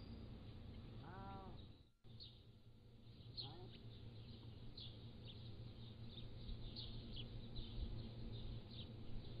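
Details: Pallas's cat kittens, 3 to 7 weeks old, caught by a motion-activated trail camera at a zoo; one clear arched, harmonic mew near the start, a fainter second later, over steady chattering of background birds and low rumble.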